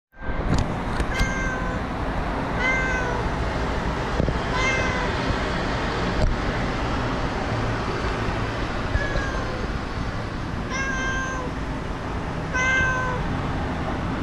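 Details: Stray cat (목냥이) at a street-cat feeding station, startled while eating when a stray dog approached from behind; several separate harmonic meows spread through the recording over a constant low outdoor rumble.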